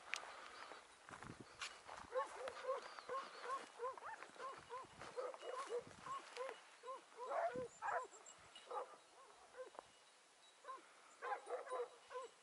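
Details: Hunting hound on the morning of 6 October 2018, pursuing a hare after following its scent and flushing it quickly; loud, repeated, rhythmic baying yelps in steady bursts about twice a second, with faint rustling and brief human noises.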